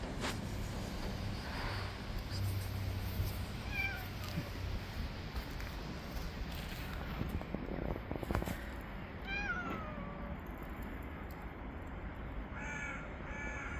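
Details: Male cat that bit a finger after being given food late, giving three short, falling meows spaced several seconds apart over a steady background rumble with faint outdoor noise.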